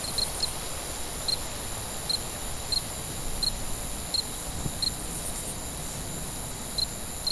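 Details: Cricket chirping at night: short, bright pulses repeated roughly every two-thirds of a second, some in quick doubles, over a steady high-pitched insect hiss and faint low rumble.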